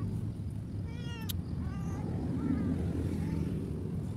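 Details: ['Abandoned cat by a road where no food is found, uttering several short, quavering meows that fade in strength, over a continuous low rumble of passing vehicles.']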